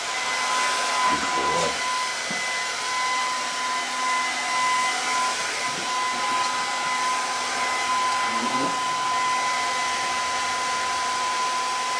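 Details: A hair dryer roars steadily with a faint voice, and no animal sound is heard.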